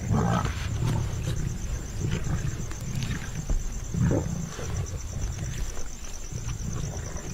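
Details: At a spotted deer kill in India's Gir Forest, Asiatic lions (Panthera leo persica) growl in deep, rumbling bursts as mothers, cubs and the rest of the pride crowd in.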